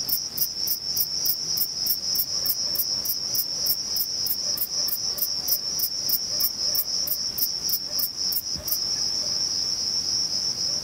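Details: Male Thyreonotus corsicus bush-cricket singing by stridulation, rubbing its reduced wings together, at Vilella, Sueca: short high, hissing chirps repeated about three times a second over a steady, unbroken high insect drone.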